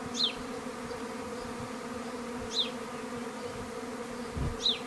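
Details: A minimum-intervention honey bee swarm in a garden in May: a dense, continuous buzzing drone. Three brief, high, falling bird chirps break through at intervals.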